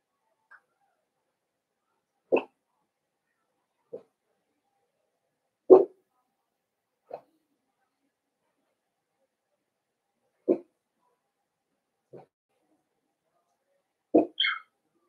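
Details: Cavalier King Charles Spaniel puppies, blenheim coloured and born on New Year's to Paris and Spike, in an indoor puppy pen. Single short barks come every few seconds across a quiet room, ending with a bark and a high squeal.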